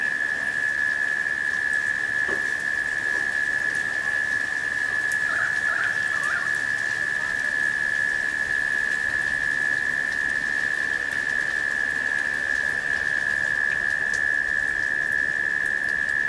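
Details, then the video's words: Cicadas humming steadily in late summer during a rain shower: one continuous, unbroken high buzzing tone through the whole stretch over soft rain hiss, with a few brief bird chirps near the middle. "The Sounds of Rain and Cicadas"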